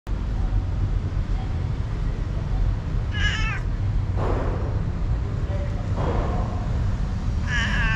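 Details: A big street cat meowing for food: two short, clear, harmonic meows several seconds apart, over a constant loud low rumble.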